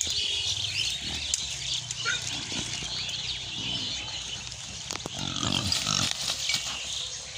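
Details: Pig on a farm in Bangladesh giving low, rough grunts in short irregular bursts. A dense chorus of chirping birds runs throughout, with sharp knocks and rustling.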